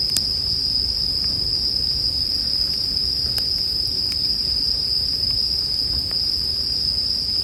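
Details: A continuous high ringing drone of bell crickets, meant as calming sleep music, runs unbroken, mixed with scattered sharp pops and snaps from a crackling campfire.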